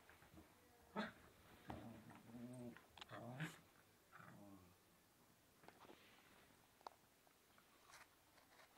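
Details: Blonde Yorkshire terrier playing indoors; short bursts of low, harmonic grumbling growls, three main bouts about a second long, mixed with soft clicks and knocks, then fainter scattered ticks and quiet room noise.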